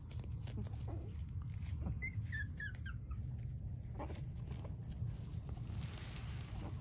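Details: High, thin dog whines, several short falling squeaks clustered between two and three seconds, with a steady low rumble beneath and light handling noises.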